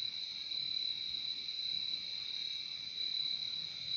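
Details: Crickets in nature keep up a continuous shrill trill, bright and even throughout, with a softer second tone beneath it and a quiet background.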